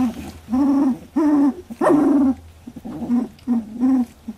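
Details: Loud, drawn-out wavering squeals from 18-day-old Labradoodle puppies in a first milk fight, about seven in four seconds, some wobbling up and down and one breaking into a harsh yelp.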